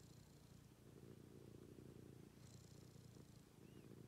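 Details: Pet cat purring during a morning routine indoors, a soft, low, rapid rumbling purr that runs continuously with faint breathy hiss above it.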